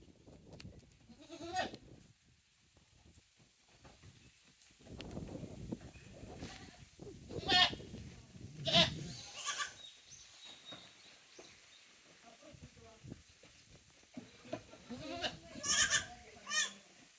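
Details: Tokara goat kids, a female and a male-female sibling pair, lively on a handmade goat farm in Japan on 2 May 2024; short wavering bleats scattered irregularly over rustling and background noise.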